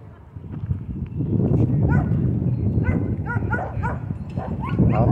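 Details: Dog at a dog park giving a rapid series of short, curved, whiny yelps, several per second, over a low rumbling background with a person's voice calling nearby.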